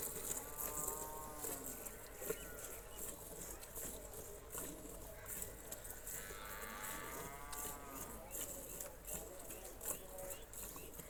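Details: Cholistani Jersey cross cow for sale lowing twice: a first moo near the start and a longer, rising-then-falling moo a few seconds later, both with rich harmonics, set against constant background noise and clicks.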